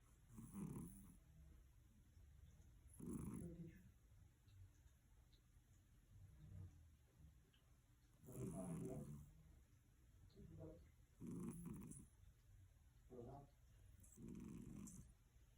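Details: Sleeping cat snoring: low, rumbling, breathy snores repeat roughly every two to three seconds, each swelling and fading, with a faint steady hiss between them.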